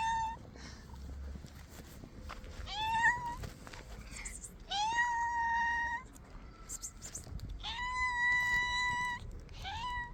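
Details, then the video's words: Three hungry stray cats meowing loudly as they wait to be fed; a series of rising, drawn-out meows roughly every two seconds, some overlapping, with faint rustling in between. "The 3 hungry cats who won't stop meowing loudly"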